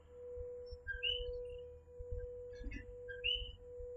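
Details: Coquí, a tiny tree frog, calling in a night chorus in Puerto Rico: two clear two-note 'co-qui' calls, a low note then a higher rising whistle, over a steady electrical hum and faint low rumble.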